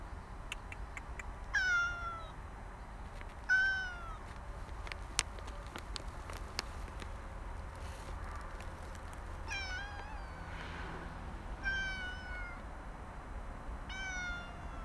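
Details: After being roused from a nap, a cat found along a walking path meows repeatedly. Its short, falling mews come in uneven bursts every couple of seconds, with faint clicks and outdoor hum behind.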